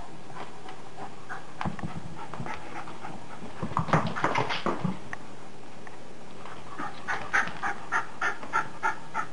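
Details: Maggie, a pet dog, during her indoor game played when the weather is bad: scattered huffs and rustles, then a rapid, evenly spaced series of short panting breaths near the end.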